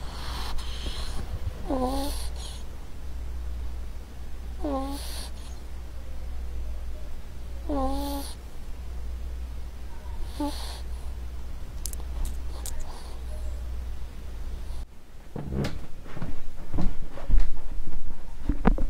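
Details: Pet ferret in a compilation of short domestic recordings: four short hooked squeaky calls, about one every three seconds, over a steady low hum, then clicks and rustling handling noises.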